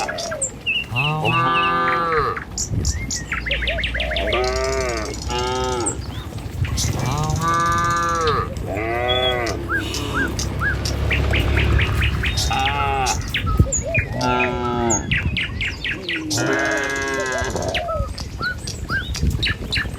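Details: Village herd of tame cattle walking in line along a country road in the morning, led to a field to graze; repeated long, deep, arching moos from several animals overlap, with faint bird twitters and a low rumble.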